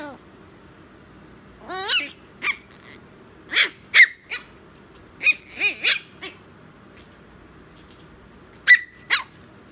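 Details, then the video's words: Chihuahua at bedtime, giving scattered high whines and short yips, some rising and falling, in bursts spread across several seconds with quiet gaps between. "chihuahua bed time"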